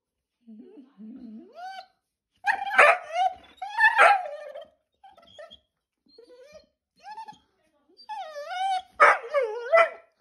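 A Vizsla dog whines in rising, wavering tones and breaks into loud, harsh barks.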